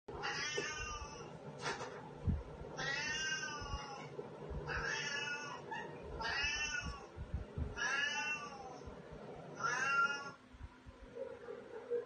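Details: Pet cats named Katty and Pchie meowing indoors: six clear harmonic meows, each about a second long with an arched, slightly falling pitch, repeated roughly every 1.5 seconds, with soft thumps and room noise beneath.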